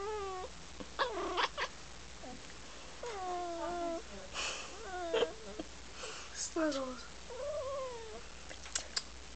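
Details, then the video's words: Pet cat called Snuggles making funny chattering noises at the camera: a series of short, falling and bending tonal chirps and trills, with gaps between, over a low steady background hum. "Baby Snuggles making funny noises"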